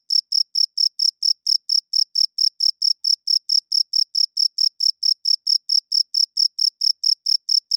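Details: Loud cricket chirping at night, produced by the male's wings to draw females and claim territory; a long unbroken train of about thirty sharp, high, ringing pulses, very regular, with nothing else audible.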